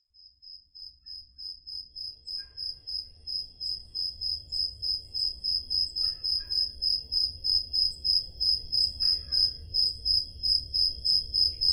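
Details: Crickets chirping on a summer night in Peloponnese, Greece, recorded on a portable digital recorder: a steady high pulsed chirp repeated about three times a second, fading in at the start, with a few faint higher chirps from other crickets and low background rumble.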